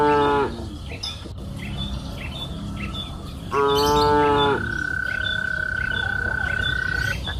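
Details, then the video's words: Cattle on a green pasture hill in the afternoon: the tail of one moo, then a full, strong, even-pitched moo lasting about a second, followed by a long steady high tone, with light bird chirps and outdoor background noise. "Sound of cows mooing up the green pasture hill in the afternoon"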